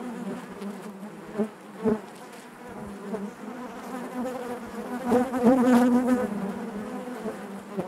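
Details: Inside a honey bee hive, a continuous low hum of many bees, with two short loud passes early on and a swelling, wavering buzz from about five to six seconds as a bee hovers near.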